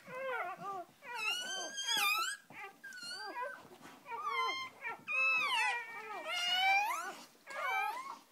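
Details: Newly born puppies lie with their mother dog indoors, the first three delivered. Loud, piercing whines with sliding pitch come in long, overlapping bursts, some strained and rising sharply, with barely a break between them.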